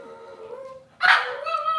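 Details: Cavalier King Charles Spaniel puppies from Robin's litter on a Wednesday-morning kitchen livestream. A long, thin, wavering whine holds steady, then a sudden loud, harsh yelp breaks in and trails into another drawn-out whimper.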